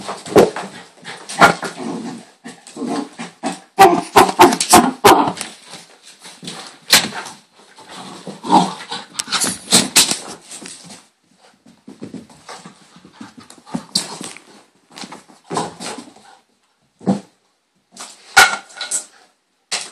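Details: Excited pet dog during a hyper moment: irregular volleys of short barks mixed with growly, rasping vocalisations and rustling movement noise, busiest in the first half, then scattered quieter yips and thumps with silent gaps.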